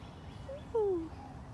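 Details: Gilligan, a rescued Canada lynx (Lynx canadensis) at Big Cat Rescue in Tampa, Florida, calls a brief hooting "woo-hoo": a short tone, then a longer, smoothly falling note.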